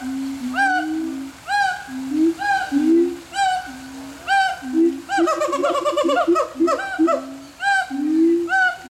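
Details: A monkey at Riverbanks Zoo in June 2013 gives a series of clear, hooting whoops with sliding pitch, repeated about once per second.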